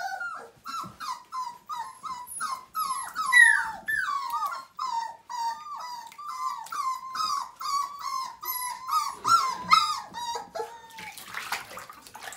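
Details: Five-week-old Siberian Husky puppies from a litter of nine, at their first bath in 2017, whimper and whine without pause. The cries are high, wavering and falling, packed closely and overlapping through the whole stretch, with a short splash near the end.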